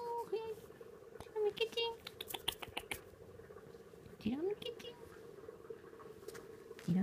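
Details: Munchkin kitten, 42 days old, giving several short high mews indoors, some rising in pitch and some level, spaced irregularly over a few seconds, against a background of soft tapping and patter noises and possible voices.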